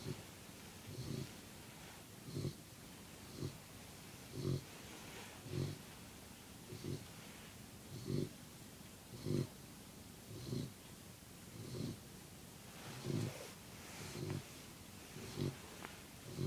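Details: Puppy asleep and snoring: a steady run of about thirteen short, low, nasal snore pulses, one a little more than every second, soft and even against faint background hiss.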